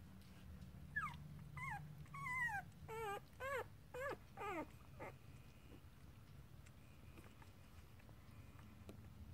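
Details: Puppy giving a series of short high whining yelps, each sweeping downward, about seven in quick succession over three seconds, then quiet with a low background hum.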